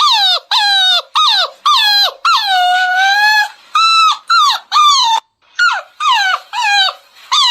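Beagle puppies giving high, squeaky yelping barks, each sliding downward, in quick irregular bursts.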